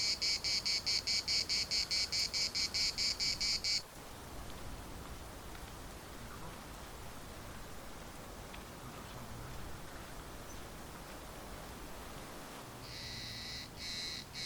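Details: Larnaca municipal park cicadas: a pulsing, shrill buzz for the first four seconds that abruptly stops, leaving quiet outdoor hum, then the rhythmic buzzing resumes briefly near the end.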